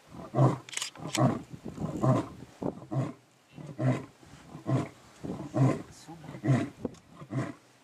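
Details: A lion gives a run of deep, chesty grunts, each a short hoarse burst repeated slightly under once a second, steady in rhythm and loud throughout.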